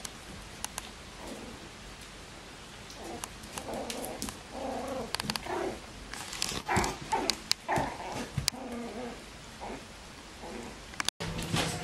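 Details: Bichon Frisé puppies of the kennel's O and P litters whine and squeak in clustered, nasal bursts that come quicker midway. Handling clicks and rustles sound throughout, followed by a brief cutoff and soft speech.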